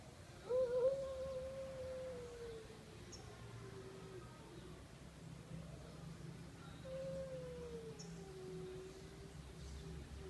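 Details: Cats on a roof stare at each other; two long, drawn-out wavering yowls, each sliding slowly downward in pitch over about three seconds, with a steady low hum in the background.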